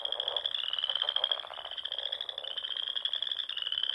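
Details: Nebraska Sandhills pond frogs at dusk in spring, a massed chorus giving an unbroken high-pitched trill over softer, lower pulsing croaks that fade in and out.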